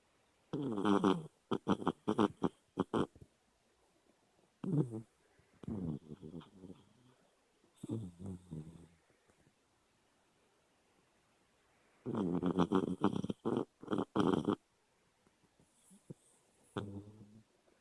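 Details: Dog snoring while dreaming with eyes open, indoors: clusters of rapid, rattling snorts and breathy pulses lasting a few seconds each, separated by quiet pauses.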